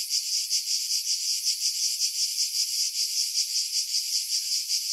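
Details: Cicada chorus in July among pines above Pefkos Bay on Skiros, Greece, recorded with a Sony RX3 and external mic; steady shrill buzzing, pulsing evenly about two to three times a second, with no other sounds.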